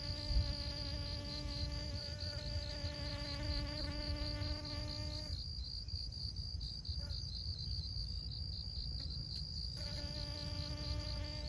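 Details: Honey bee buzzing as it pollinates flowers in Siosar, Karo, North Sumatra, Indonesia; a steady harmonic drone fades out near five seconds and returns near ten, with wind rumble and a constant high pulsed insect trill throughout.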